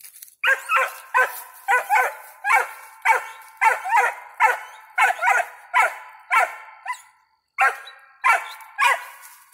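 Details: Barking steadily at a treed squirrel, five-month-old squirrel dog Ranger gives a long, rhythmic series of about twenty sharp, ringing barks, often in pairs, with one brief pause near the end.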